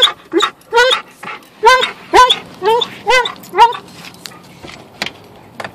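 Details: Alaskan Malamute in a car on a three-minute drive to the dog park, giving a run of drawn-out, wavering whine-howls, roughly two per second, rising and falling in pitch, then trailing off into softer yips over faint engine hum.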